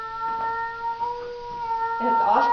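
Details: Domestic cat Austin, meeting his "cousin" cat Furley indoors and apparently disliking other cats, gives a long, steady, low droning yowl with a flat tone for about two seconds before a person's voice cuts in.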